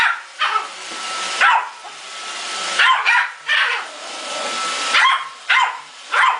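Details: Male Yorkshire Terrier named Muffin confronting a Roomba robot vacuum, giving bursts of shrill yaps, some paired in quick doubles, about seven barks in six seconds over a faint constant whine from the machine.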